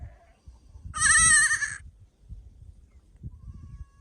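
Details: Sheep giving a single short, wavering bleat of under a second, bright and nasal with a rough buzzy quality, over low rustling and handling noise, then quiet.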